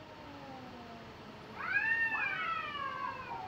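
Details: Cats fighting in Japan: a faint low drawn-out growl, then a louder wavering yowl rising and bending down over about two seconds against steady background hiss.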